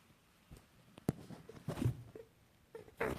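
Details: An angry female rabbit in a cage, meeting the other rabbits for one of the first times, gives short, low, huffing grunts and snorts in scattered bursts.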